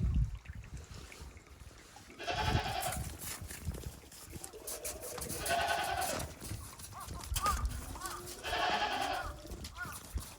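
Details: Goats on a Japanese farm on 28 December 2023, walking timidly on snow after heavy snowfall; three long, wavering nasal bleats a few seconds apart, with faint human voices and rustling between them.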